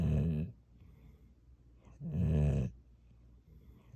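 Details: Gyeoul the dog snoring indoors: two long, low, buzzing snores, each about half a second to under a second, separated by a quiet pause of around a second and a half.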